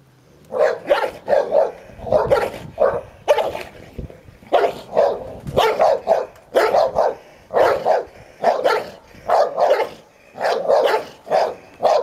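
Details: Playful tussle over a toy between ten-year-old Hovawart Sherlock and one-year-old Am. Staff Heini; nearly continuous rapid barking, over twenty harsh mid-pitched barks in twelve seconds, often in pairs or threes.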